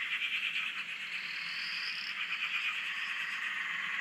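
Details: Chorus of frogs on an Australian dam, heard from a shack: a constant rattling buzz of many callers with one long upward-sliding higher note standing out midway.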